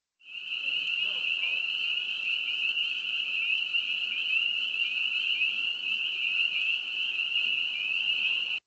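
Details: Spring peepers, calling in spring, give a steady, high, shrill peeping that blends into one continuous ringing tone.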